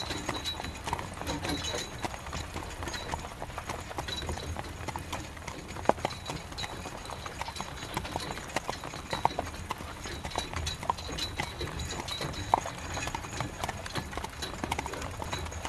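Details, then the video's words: Horse pulling a carriage through rain: steady clip-clop of hooves on a hard surface, sharp knocks spaced irregularly, under a constant hiss of falling rain with occasional louder splashes. "Horse Carriage Through Rain"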